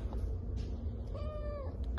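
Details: A shy young male Domestic Shorthair cat, born on the streets and awaiting adoption at a shelter, gives one soft drawn-out meow that rises slightly then falls, over low background hum.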